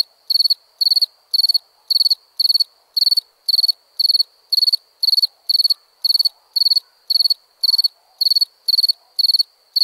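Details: Crickets chirping at nighttime: a steady run of high, shrill chirps, each a quick burst of four or five pulses, repeating about twice per second throughout with no other clear sounds.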